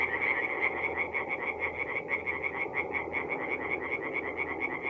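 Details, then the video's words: Several tree frogs call together after dark at a forest pond in North-East Italy in mid-April, producing fast, choppy, high-pitched croaks that stutter unevenly over a constant lower murmur of further callers. "relaxing forest pond by night with singing tree frogs"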